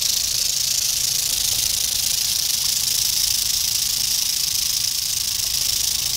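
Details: Eastern diamondback rattlesnake dated 8/27/11: an unbroken, even, high-pitched sizzling buzz that holds steady in loudness from start to finish, with no other clear sounds.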